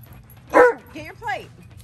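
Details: Impatient Alaskan Malamute at home, Tonka or Monroe, waiting for French toast waffles, lets out one short sharp bark followed by two rising-and-falling whiny woo sounds amid a woman's voice urging get your plate.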